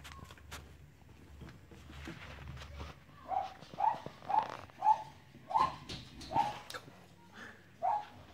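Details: Playing Cavalier King Charles Spaniel puppies: after a few seconds of soft shuffling, a run of seven brief, high whimpers follows at a steady pace, roughly one every two-thirds of a second, each a thin, slightly falling whine.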